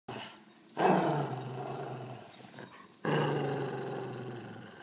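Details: Italian Greyhound growling while playing: two long, low, rumbling growls, each lasting about two seconds, with a brief quiet gap between them. The second growl starts strong and slowly fades.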